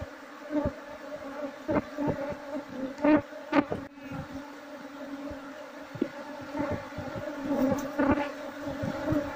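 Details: Honey bees, Apis cerana, from a wild nest disturbed during a search for the queen before hiving the colony; continuous droning hum punctuated by sharp cracks and knocking sounds.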